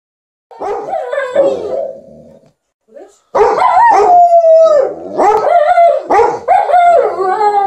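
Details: Liza the Alaskan Malamute and TJ the Golden Retriever "talk" to their owner while she irons: warbling, howl-like vocal phrases that rise and fall in pitch, broken by a short pause, then a louder run of overlapping yodels.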